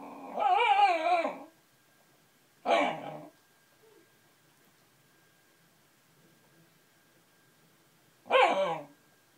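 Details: A dog dream-barking while asleep, something it does often: a drawn-out wavering whine-bark lasting over a second, then two shorter yelping barks several seconds apart, in a quiet room with a faint background hum.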